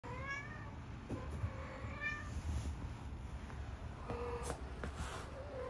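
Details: Domestic cats, a calico-mix kitten and a cream Minuet, meowing in short, harmonic calls spread through the recording: one near the start, another around two seconds, then a pair later on, all over a steady low rumble.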